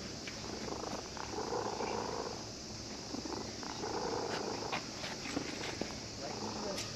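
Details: Stray cat that had been sleeping at a fishing port in Japan, purring happily while a child who came fishing strokes it: soft, low, steady rumbling purr in long breaths, quiet against outdoor background hiss.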